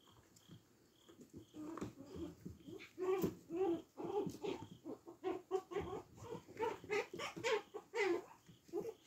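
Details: Tiny brown puppy SHO making rapid snuffling grunts and little squeaky vocal pulses, quickening and growing louder after the first two seconds, with a faint human voice and rustling in the background.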